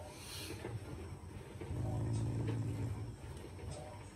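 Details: Shiba Inu, a loving family dog, growling as a show of affection toward its owners rather than anger; a low, buzzy, rumbling growl swells from about 1.7 to 3 seconds, framed by softer low rustling and faint background noise.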